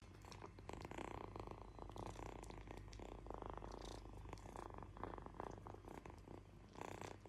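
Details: A kitten purring steadily: a continuous low, throbbing rumble that runs unbroken through the whole stretch, with faint rustles and soft handling noises on top.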